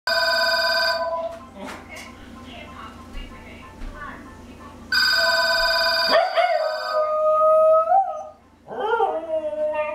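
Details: A female Pembroke Welsh Corgi howls in a long, wavering tone when the telephone rings, with people talking.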